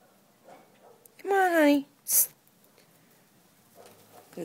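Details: Savannah cat named Malaika during leash training, giving one loud descending meow-like cry with clear stacked harmonics, followed by a short sharp hiss-like burst and a woman's soft speech.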